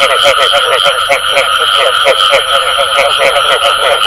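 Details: Frogs giving the 'bù tọt' call: throaty pulsed croaks repeated about four times a second amid a thick chorus of other frogs, with a continuous high whine behind.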